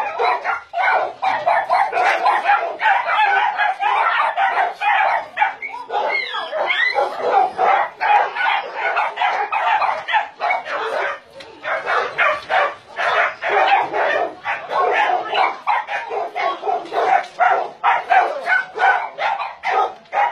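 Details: Chorus of many dogs held at a meat farm and puppy mill in Nonsan, South Korea, January 2017, where about 150 dogs are kept: dense, overlapping barks with no pause across the whole stretch.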